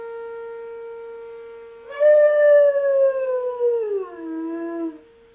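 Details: Knuckles, a German Shepherd, howls along with the monthly siren test: after a steady siren tone, one long loud howl starts high, slides gradually downward and ends lower, with the siren droning beneath.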